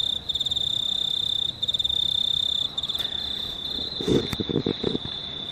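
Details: Night chorus of crickets under a near-full moon, 19 March 2019, shrill pulsed chirping throughout, interrupted near the end by a brief louder lower-pitched sound.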